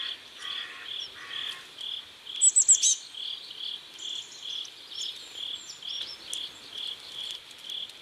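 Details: Riverside crickets in South Korea at sunset give a regular train of short high chirps, roughly two per second, with two low buzzy bursts early on and a quick run of sharp bird notes midway.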